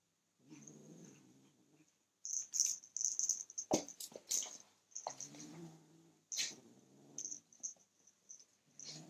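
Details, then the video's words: Male kitten growling over his toy as someone tries to take it away; low, grating growls come in uneven stretches, interrupted by sharp handling knocks and scuffles. "Kitten growling at me trying to take his toy"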